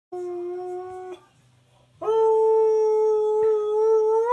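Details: Male husky-malamute cross indoors singing along to television adverts: a steady sustained howl note, a brief pause with a low background hum, then a louder, higher, long held howl rising slightly at the end.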